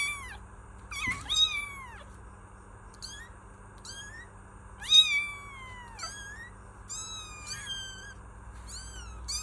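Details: High kitten meows repeated irregularly, about seven short calls, some bent downward in pitch, with a low background hum and a soft knock.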